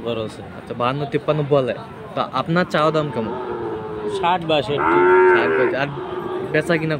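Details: Friesian and crossbred bull calves at Aftabganj cattle market in Dinajpur, Saturday 18 March: a drawn-out harmonic moo near the fifth second, set among choppy market chatter and brief calls.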